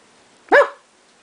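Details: Lulu, a seven-and-a-half-week-old Shetland Sheepdog puppy, playing indoors, gives one short, sharp, high-pitched yip-bark lasting about a quarter second. The room is otherwise quiet.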